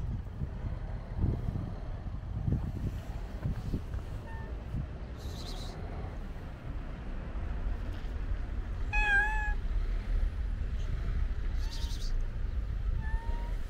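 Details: Stray domestic cats, a tortoiseshell on a roof and an orange-and-white cat on a car, being petted outdoors. Several drawn-out meows: a faint one early, a loud harmonic-rich meow mid-way, then two shorter ones near the end, over steady low traffic rumble.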